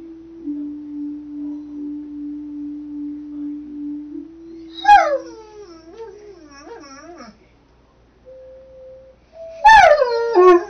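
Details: Accompanied by Mary Had a Little Lamb in a messy kids room, a mastiff sings. A long, steady instrumental note opens, followed by a loud, quavering howl that wobbles and drops in pitch, then a short final burst of howling.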